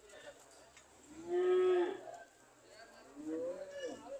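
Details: Cows ready to leave give quieter moos: a steady, level half-second low call, then a softer rising-and-falling moo after a brief pause, over a hissing background.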